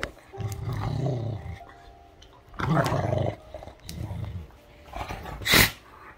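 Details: Great Dane during rough play with another dog indoors, growling to say get off: low rumbling growls in two long bouts with quieter grumbles between, and a sharp loud snap near the end.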